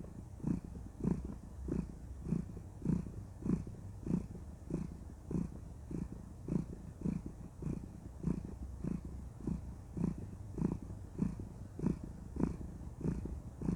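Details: Cuddling house cat, a content female, keeps up a steady low purr, about a hundred rhythmic pulses a minute, each breath a soft throbbing rumble, even and unbroken through the whole stretch.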